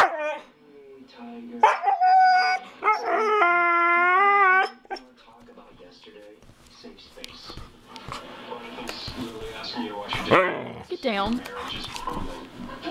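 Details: A house dog "talking" to its owner: short yips leading into a long, wavering, howl-like vocal lasting about two seconds, dropping at the end, followed by quiet rustling and a human voice.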